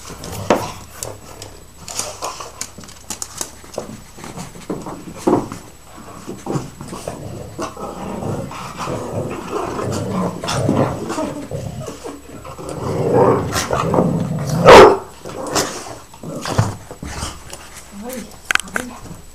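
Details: Greyhound playing with a Jack Russell indoors in a small room: irregular bursts of breathy panting, soft grumbling and short whimpering noises, with scuffling thumps, building to a loud burst near the end.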